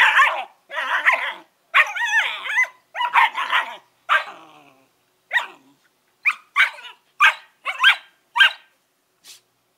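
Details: Collie puppies aged 11 weeks giving rapid bursts of rough, harmonic barks and growly yips, about a dozen calls with short pauses, getting shorter and lighter toward the end.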